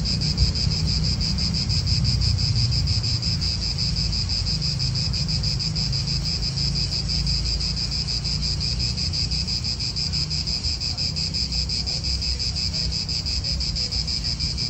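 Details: Italian park cicadas keep up an unbroken, piercing buzz with a fine rhythmic throb, set against a constant low roar of wind.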